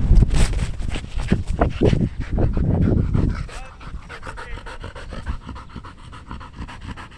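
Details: Belgian Malinois named Danny panting hard while playing fetch in Cebu, Philippines; rapid, rough breathy pants, loud and dense in the first three seconds, then softer and steadier, with a person exclaiming nearby.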